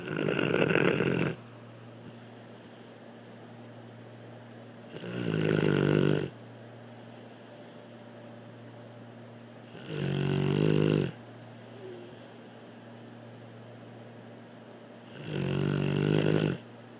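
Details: Rhythmic snoring by Blue the dog, four loud grating snores spaced about five seconds apart, separated by calm, low, humming pauses.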